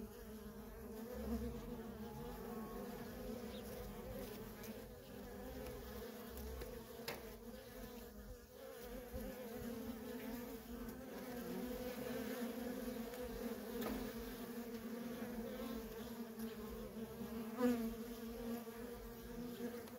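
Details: Continuous buzzing of worker honey bees at a wild feral colony, traffic never stopping; a low steady drone holds throughout while occasional closer bees flick past and faint clicks break through.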